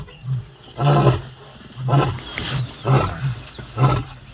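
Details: Wild adult lion, not a cub, on the African savannah, giving deep, rough grunting roars in a series of five heavy pulses about one second apart, each low and breathy with a hoarse rasp.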